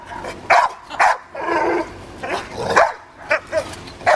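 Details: Dogs at play with a balloon give irregular loud barks mixed with a longer whining yelp in the middle, with some rustling between calls.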